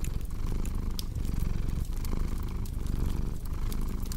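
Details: Close, deep purring from a cat, a thick buzzing rumble that swells and eases with each breath, while fireplace crackles add scattered sharp clicks.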